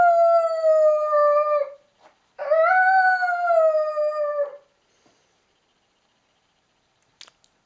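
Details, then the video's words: One-year-old Lakeland Terrier giving two sustained howls, the second rising sharply at its start then sliding gently down, each about two seconds long, followed by silence and a few faint clicks. "Lakeland Terrier Howling"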